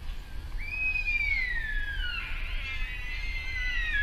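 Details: A sika deer (Cervus nippon) at RSPB Arne, Dorset, on 15 October 2013 gives a long, high whistling call that slides steadily downward, then wavers.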